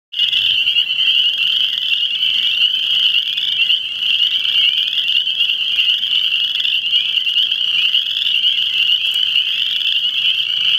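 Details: Frogs calling in a dense, unbroken chorus: a high, shrill trilling wall of sound that holds steady for the whole stretch without any pause, with many overlapping voices blending together.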